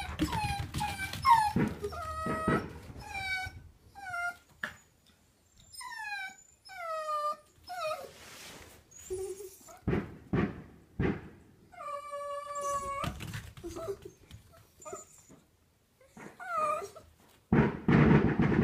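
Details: Nearly four-year-old smooth miniature Dachshund girl Choco, an affectionate indoor pet, lets out repeated tonal whining yips, each sliding downward, in bursts of two to four with brief gaps, plus one longer drawn-out cry and soft background noise.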